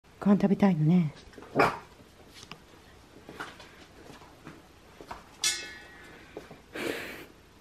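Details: Two Siberian Husky littermate puppies, male and female, at mealtime indoors; a wavering, whiny vocal rises and dips for about a second, followed by scattered clicks and soft thumps, a sharp hiss-like burst, and a person speaking quietly.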